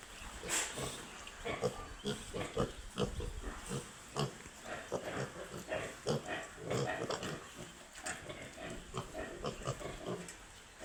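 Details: Baby pigs making rapid short grunts and snuffling noises in irregular bursts, some brief squeaks, over constant low background noise.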